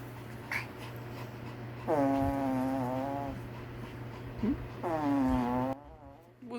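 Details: Pomeranian warning when its owner blows a raspberry on its belly: two long, droning, moaning growls of about a second each, with an indoor hum throughout and brief speech between them.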